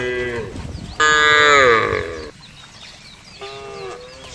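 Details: Herd of cattle herded across a broad pasture: a loud drawn-out moo falling in pitch, preceded and followed by softer, shorter lowing from other animals.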